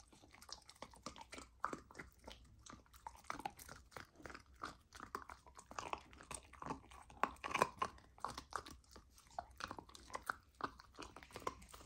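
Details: Golden retriever puppy on a raw diet eating raw lamb for the first time: dense, irregular wet chewing and crunching clicks, steady throughout with brief louder bites near the middle.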